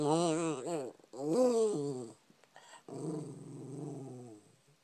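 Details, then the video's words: Pet puppy making its usual wanting-food grumble indoors: drawn-out, wavering moans with rising and falling pitch in two bursts, then a lower, rougher rumbling grumble that fades out. "Weird Noises Puppy"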